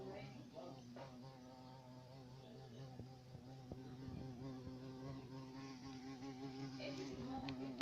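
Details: Continuous low buzz of a carpenter bee, a deep even drone with layered harmonics, broken by a few sharp clicks and light background noise.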